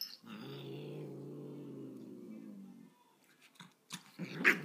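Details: Angry dog growling indoors, one steady low rumbling growl lasting nearly three seconds, then quiet with a few rustles and a short sharp noise at the end.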